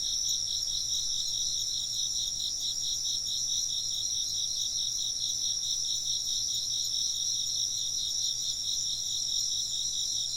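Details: Insects keep up a constant high trilling, a fast regular pulsing beneath a thinner, higher ringing layer, level and unchanging from start to end.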